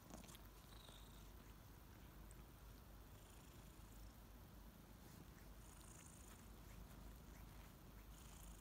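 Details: Morning purring from two kittens named Ariel and Bear as they wake and lick; continuous low, even rumble fills the whole stretch, with soft scattered rustling above.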